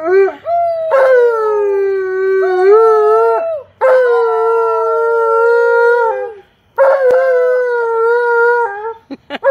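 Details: Excited by visiting family and a neighbor, Tonka the Alaskan Malamute gives three long howls, each steady then sliding gently downward, separated by brief silences, with a few short yips at the close.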